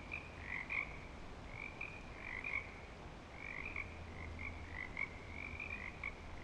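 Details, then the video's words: A chorus of frogs at Clearwater Commons, back and active, gives steady, overlapping trilled calls at a middling pitch, with a low hum beneath. "Frog Song Recording at Clearwater Commons"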